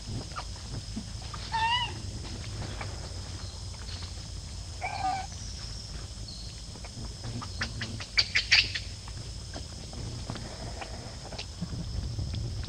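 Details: Baby monkey Lucie, after being kicked into a hole by Luna, gives two short harmonic squealing cries about three seconds apart, with faint clicks and rustling and a steady low hum underneath.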